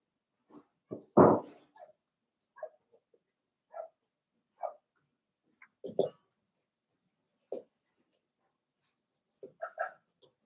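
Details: Blenheim Cavalier King Charles Spaniel puppies, seven weeks old, in a home puppy pen. One strong bark opens a sequence of short, scattered yips and squeaks at irregular gaps over ten seconds, with quiet pauses between them.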